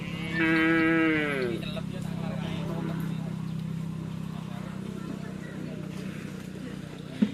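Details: White Karapan Sapi racing cattle from Sapudi Island, Indonesia: a single harmonic moo lasting just over a second that drops in pitch as it ends, followed by a steady low drone with background murmur.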